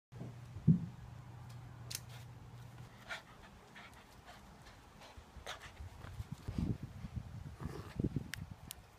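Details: A female Cavalier King Charles Spaniel playing tug-of-war, her favourite game, gives a low, steady, rumbling growl that breaks into rougher bursts. Rustling and thumping from the tugging run underneath.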